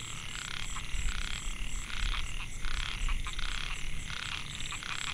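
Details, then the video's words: Microhyla pulchra males in a rice field at Mae Hia, Chiang Mai, Thailand, recorded 2014, calling to lure females: clustered buzzy, grating pulses from several frogs, a low rumble and a thin continuous high whine behind. "Amphibian acoustic I Narrow mouthed Frog - Microhyla pulchra"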